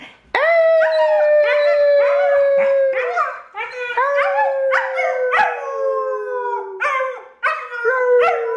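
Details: A German Shepherd puppy howls in long, sustained, gently falling tones, several drawn-out howls running almost continuously with brief breaks between them.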